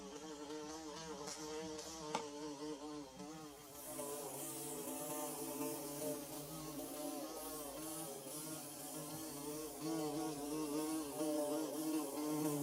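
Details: Many bees droning while building a nest, a continuous harmonic buzz with wavering pitch lines; a couple of sharp clicks early on, then the hum grows fuller and brighter with added high hiss.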